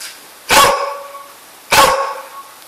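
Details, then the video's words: A dog is urged by a person to find and fetch the sheep. It gives two loud, sharp barks about a second apart, each ringing on briefly with a tonal echo, in a quiet indoor-sounding space. "Barking Mad"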